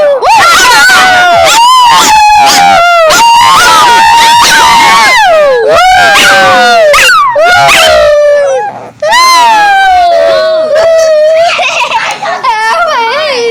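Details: Pet dog making noise with long, wavering whines and howl-like cries that rise and fall, nearly continuous across the whole stretch with brief breaks, loud and close.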